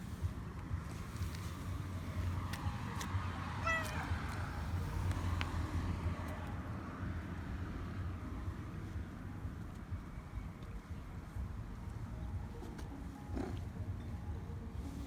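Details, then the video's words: Calico cat running after a person along an embankment, seeking attention and food; one brief, faint, harmonic meow around four seconds, otherwise a constant low-pitched background rumble with scattered clicks. "Calico cat followed me on the embankment and asked for attention"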